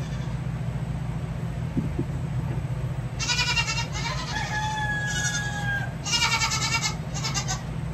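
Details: Goat kids during hoof trimming; after a quiet start, a run of quavering bleats, one longer with a held, steady tone, over a steady low hum.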